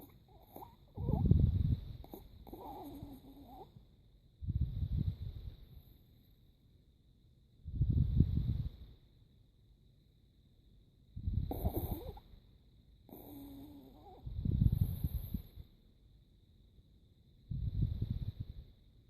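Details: Krisha, a pet Chihuahua, snoring while asleep: low rumbling snorts arrive in regular breaths about every three seconds, some with a raspy wheezing edge, separated by quiet pauses.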